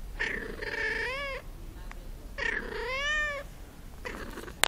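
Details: Cat producing two long, wavering meows, each more than half a second long and bending downward at the end, followed by a fainter third call and a sharp click in a quiet room.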